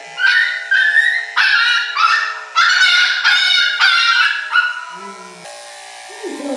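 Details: A three-month-old male Miniature Schnauzer puppy, uncooperative during his second grooming as clippers run over his body, gives loud, shrill, wavering yelps and whines in protest about every second.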